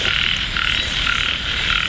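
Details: Light rain over frog-hunting ground at Ban Na Suang, Ubon Ratchathani, with frogs croaking in a thick, wavering chorus that swells and dips in brief surges over about two seconds.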